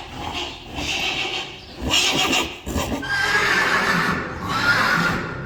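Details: Several Friesian horses from a herd of 25 whinny one after another: drawn-out, wavering neighs with a strong shimmering tone, the later calls steadier and longer, over hoof clatter in the background.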